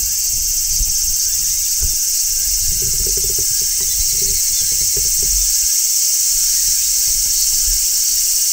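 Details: In midsummer, a large brown cicada on a tree keeps up a steady, piercing, sizzling drone, with a few faint lower chirps partway through.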